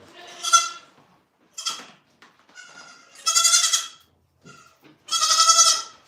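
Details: Domestic goats at The Willful Goat Farm & Home giving loud, wavering, nasal bleats in separate bursts, four strong ones over six seconds with shorter quieter calls between, against a quiet background.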